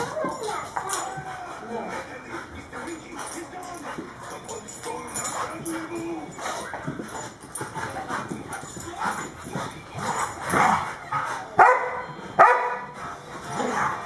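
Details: Two pet dogs wrestling, Champ, a German Short-haired Pointer, and Kobe, a Cane Corso, give rough growls, whines and yips in a busy, uneven stream, with sharp thumps and scuffling near the end.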